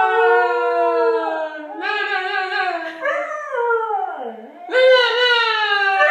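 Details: A male Corgi howls in long, wavering tones that slide down in pitch and rise again, prompted by the word "no" repeated in an odd octave.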